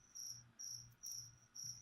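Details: Cricket kept as a feeder insect at a leopard gecko feeding session: four bright, high ringing chirps about every half second over a faint low hum.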